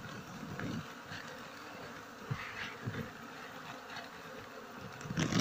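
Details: Honey bees buzz in a dense, continuous drone while their nest is harvested in flowering season, with occasional knocks and handling noises.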